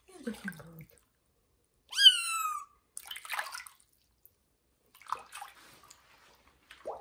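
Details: Kitten Johnny meowing loudly during its first bath in a bathroom: one high, clear, slightly falling meow lasting under a second, with splashing water and soft rustling before and after.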